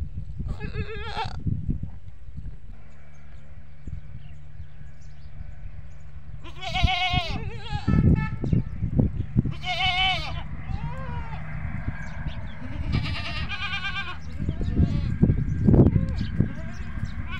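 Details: Farmed goats bleating on a goat farm; the calls draw the young kids to the adults. Several loud, quavering, nasal bleats come in bursts with gaps between them, over steady low farmyard rumble.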